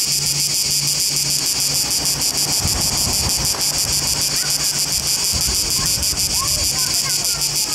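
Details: Cicada orni sings in Trogir, Croatia: a loud, dense, high-pitched rasp beaten into rapid regular pulses, about four each second, steady throughout, over a low droning hum and faint background voices.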